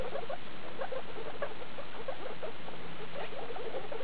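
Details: Guinea pigs at CHS Luna, the skinny sow Daisy and her babies born 2 August 2012, recorded 19 August 2012: rapid bursts of short, high squeaks repeated several times each second.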